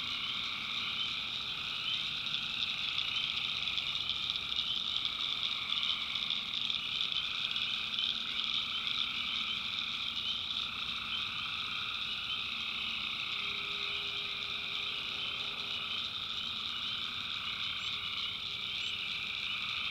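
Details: Tree frogs calling at night in the backwoods of North Carolina: a dense, continuous chorus of high trilling voices in stacked bands, steady throughout, with a faint lower hum briefly in the middle.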